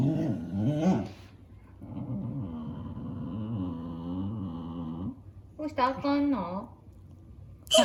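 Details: Indoor pet dog grumbling at a squeaky cat mouse game on a tablet that he dislikes; long, low, wavering groaning moans in three drawn-out stretches, with a faint steady high tone from the game.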